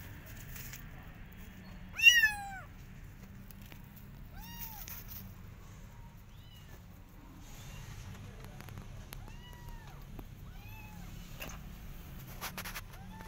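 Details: In a garden, a Persian cat and her adopted kittens keep an eye on rabbits; one louder meow near the start, then several short, faint meows scattered across a quiet stretch with soft background hum.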